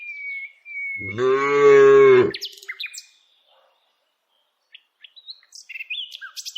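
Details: Tame village cow moos while being herded on a daily walk: one level, droning moo of about a second, followed by bright, high bird chirps and twitters.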